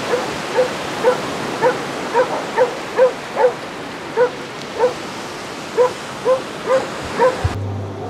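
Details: Steady barrage of Basset Hound bays on Exmouth beach during a walk of 37 hounds covering four miles: around fifteen resonant, mid-pitched barks in quick, uneven succession, roughly two per second, over a constant noisy outdoor background.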